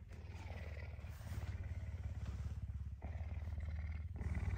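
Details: Affectionate puma up early on a Tuesday morning, very hungry for breakfast; deep, even purring rumble that swells slightly in loudness across the clip, with quiet rustling.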